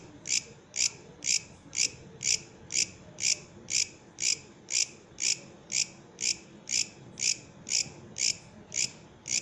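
A katydid, or bush cricket, gives a steady run of harsh, high-pitched rasping bursts, about two each second. Each short scraping pulse stands out sharply against a quiet, low background hum.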